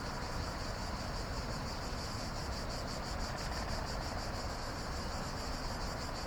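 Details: Cicadas calling at night: a steady, finely pulsing high buzz runs unbroken throughout, over a constant low rumble of background noise.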